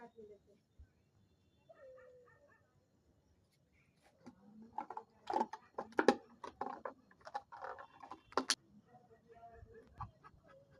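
Thin, whining tones open the recording before a German Shepherd breaks into a run of loud, abrupt barks. A human voice speaks between the barks in a small indoor room.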